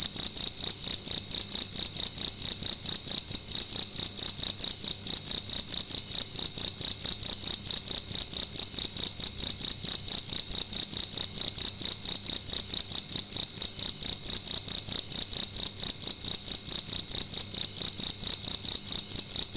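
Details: A cricket sings loudly in a room during the night, its piercing high chirps pulsing rapidly and evenly without a break from start to finish.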